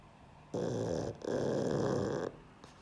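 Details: Sleeping pug Sheldon gives two long, harsh snores back to back, each a coarse rattling rasp of over half a second, with a brief pause between them, then quiet.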